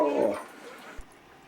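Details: Luca, a talkative foster dog, makes a short, low whimpering whine that fades out after a moment, followed by near silence and a single soft knock.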